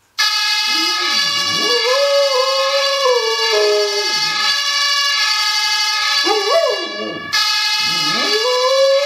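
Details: Pet dog howling in response to a fire-engine siren played from a mobile phone: wavering, rising and falling howls repeated about every two seconds over a loud, steady electronic siren tone that runs throughout.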